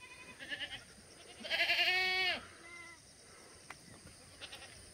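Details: Black goat raised free-range without antibiotics on a hillside farm in Gimhae, South Gyeongsang, South Korea, clear August morning in 2020; one strong, tremulous bleat falling at its end, with faint bleats before and a soft later call.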